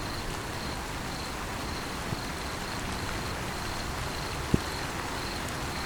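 A cricket chirps in high, pulsed bursts over the steady hiss of falling rain.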